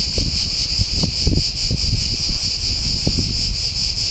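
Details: Cicadas in a pine grove at San Sostene, Italy, producing a deafening high sizzling drone with rapid pulsation, over frequent low knocks and rustling noise.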